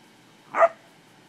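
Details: English springer spaniel playing with cattle gives a single short, sharp bark against a quiet background.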